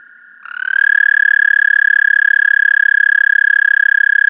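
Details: American toad recorded with an amplified parabolic microphone: a long, steady musical trill on one pitch that swells in after a faint earlier trill, the pulses running rapidly and evenly throughout.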